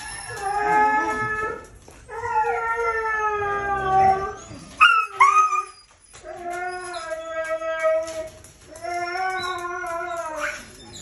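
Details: Howling and whining from a red-brown Siberian Husky at breeding time: long, level, richly harmonic notes about two seconds each, separated by pauses, with a brief sharp yelp-like squeal midway.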